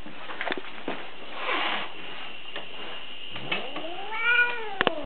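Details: Cat said to mean well though sounding evil: faint rustles and clicks, then a single drawn-out meow that rises and falls near the end, closed by sharp taps.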